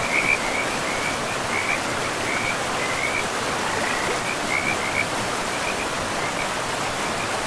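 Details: Frogs calling beside a river in a pristine forest, a run of short, rapid, chirping croaks repeated in quick bursts across the clip, over a steady rushing roar of flowing water.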